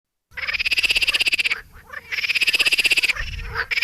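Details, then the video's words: Squirrel calling with a fast, harsh, rattling chatter of rapid pulses in two bursts of about a second each, separated by a short pause, in a clear recording with little background. "เสียงกระรอก ສຽງກະຮອກ"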